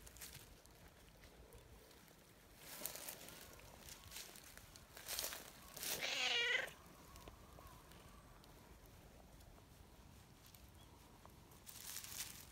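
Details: Outdoor community calico cat meowing hard as it enjoys being stroked and kneads affectionately; a single short, bright meow near the middle, preceded and followed by rustling, footsteps and handling noises.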